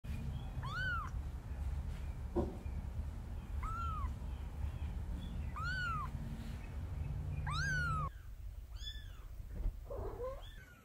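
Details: Mother cat carrying and rescuing her kitten, giving a run of clear rising-and-falling meows, four strong ones spaced about two seconds apart, then softer, fainter meows after a quieter break, over a low steady background rumble.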